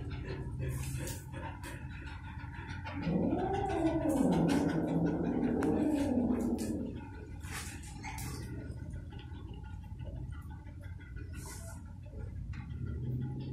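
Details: Golden retrievers indoors, an experienced adult dog disciplining a disrespectful puppy to teach it calm. A drawn-out, wavering, groaning whine rises and falls for about four seconds, over a steady low hum with faint scattered clicks.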